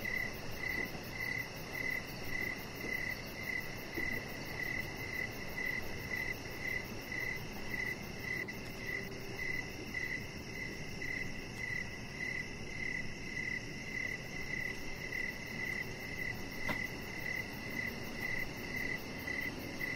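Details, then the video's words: Crickets chirping outdoors in the evening beside a deck with decoration lights, a Chihuahua puppy named Rocket lying nearby; a steady high pulsed chirp repeats about twice per second over a soft low background hum. "Chihuahua Puppy Laying On Deck with Cricket Sounds"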